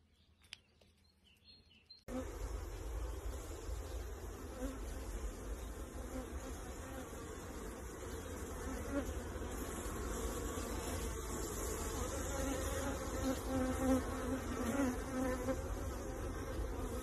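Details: Kept honey bees hum around a beekeeper's colony. After two quiet seconds a steady, low, dense buzz sets in and slowly swells, with a soft rushing undertone and no voices.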